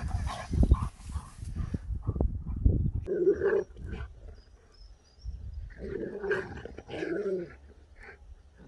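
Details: Sherpa the husky, happy and shocked on waking after sleeping through a journey, gives two bursts of wavering, moaning talk-like vocalizing with a quiet gap between them, following rumbling low noise at the start.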